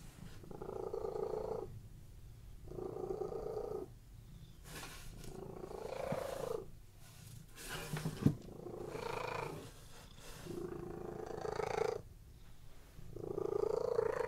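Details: Cats resting on a bed purr contentedly; a deep rolling rumble rises and falls with each breath, with a few brief clicks and rustles in the middle of the recording.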